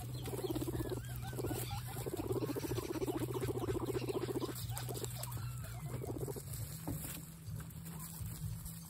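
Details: Several excited guinea pigs give rapid pulsed, rumbling purrs in long bursts with a few short rising squeaks, over a steady low electrical hum.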